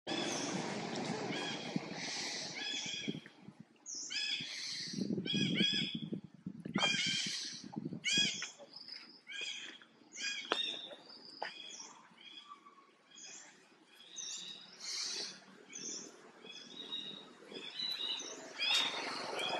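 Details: Baby monkey Jinx, frightened when mother Jade looks at her, gives a string of high, harmonic squeals and cries, roughly one every second or so, with some low rustling and handling noise early on.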